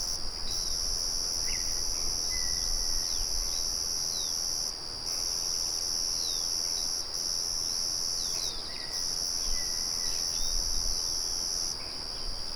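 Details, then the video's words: Crickets ring with a bright, continuous high trill, broken by short silences roughly every two to four seconds. Occasional bird chirps and thin whistles sound throughout, over the low murmur of a windmill. "Sonido de Grillos"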